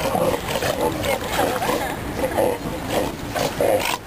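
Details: Sea lions on a platform over the river in Valdivia, Chile, where they gather every afternoon to sunbathe; hoarse, overlapping barks repeat several times a second throughout, over a steady wash of background noise and possible human voices.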